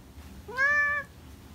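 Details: Young kitten wailing persistently in the morning with an alarmingly fearful voice; a single half-second meow that rises slightly, holds steady with rich overtones, then tails off, in a quiet indoor room.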